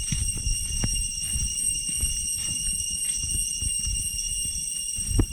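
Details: Walking out from Chhay Yong Waterfall, Koh Kong Province, Cambodia, through deep jungle in the Areng Area: cicadas sustain a level, ringing high drone without pause, accompanied by steady footsteps and rustling.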